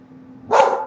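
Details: Single abrupt, full-bodied bark from a pet dog at home, bursting out after a quiet moment with a faint low hum underneath.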